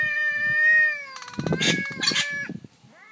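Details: An orange cat and a black cat living two houses away clash over territory during the day; a sustained, steady yowl gives way to harsh spitting hisses and low growling before a brief rising wail.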